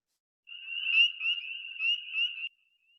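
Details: Spring peeper, heard in Texas around the beginning of the year, giving high, thin peeping whistles that run together into a pulsing, ringing tone.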